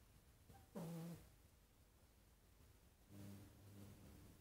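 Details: A three-month-old male Egyptian Mau kitten (Felis catus) gives a short, falling meow asking for treats, then soft low murmurs.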